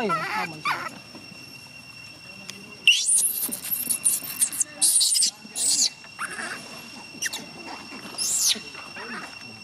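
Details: Gina, a young chimpanzee, cries to stop her carer leaving for home: shrill, high-pitched screaming bursts, several in quick succession, then a last sharp cry, with a murmur of Vietnamese speech underneath.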